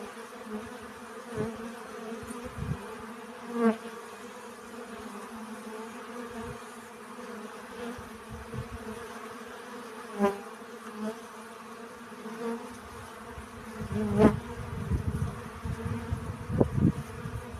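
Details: Honey bees collecting pollen hum steadily and low near one pitch with faint higher overtones. Single bees passing close swell the buzz briefly before it fades, with some rustling near the end.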